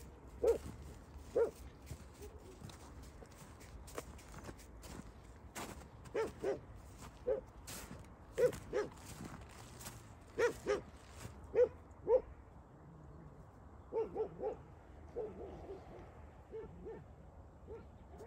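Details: A female Dogo Argentino facing a pack of six dogs: single deep barks spaced irregularly about every one to two seconds, some in quick pairs, over faint background noise.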